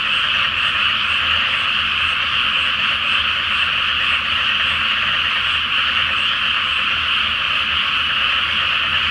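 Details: Massed croaking of frogs at night in a flooded paddy before rice planting, full moon overhead; a seamless, steady chorus of overlapping calls fills the whole stretch.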